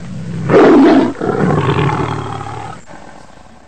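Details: A tiger in a zoo gives a deep, rasping roar that swells loudly, then trails off into a rumbling growl.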